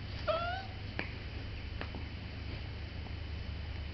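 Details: An 8-week-old Welsh Corgi puppy, in its first weeks at a new home in spring 2010, gives one brief, high, slightly rising whine over a low indoor hum.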